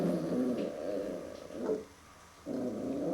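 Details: Puppy Max reacting to a mirror for the first time indoors, a rough low rumbling growl in two stretches broken by a brief pause.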